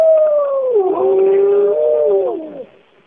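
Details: Bays Mountain wolf pack howling in the cool morning, recorded in 2010: a loud, clear howl that dips in pitch, holds steady, then slides down and fades, with a second voice layered beneath.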